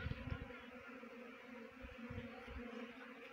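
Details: Humming of a honey bee swarm during trapping in Jaunsar Bawar, Dehradun district, Uttarakhand; continuous even drone with strong overtones, overlaid by low rumbling bumps early and midway.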